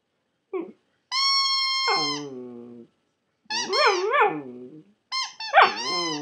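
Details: Maltipoo puppy singing indoors: a short yelp, then a steady high held tone over a falling whine, followed by wavering, warbling howls that rise and fall, and a final burst of squeaky howling notes.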